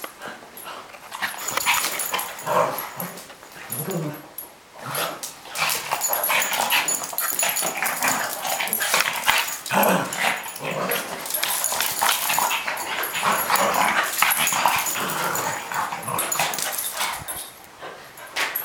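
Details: Two pet dogs, a Boston Terrier and a Cavalier King Charles Spaniel, in a lengthy play fight: intermittent low grumbling growls amid constant scuffling, panting and rustling, with a steady high hiss behind.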